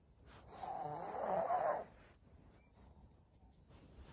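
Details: Senior pug named Maria, indoors on 14 April 2022, lets out one rough snorting grunt with a faintly whiny, harmonic edge lasting about a second, followed by a quiet room.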